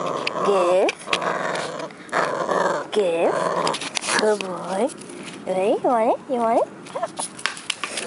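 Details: A 12-week-old male Cavalier King Charles Spaniel puppy growls in play at his favourite toy, a plastic pot, in a yard, with rising-and-falling whiny grumbles in short bursts.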